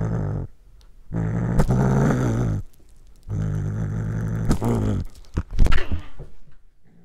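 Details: Pet cat trying corn for the first time growls as it eats, captured with a Panasonic GH5. Two sustained, deep, throaty growls, each about one and a half seconds long, are followed by loud crunching and smacking bites.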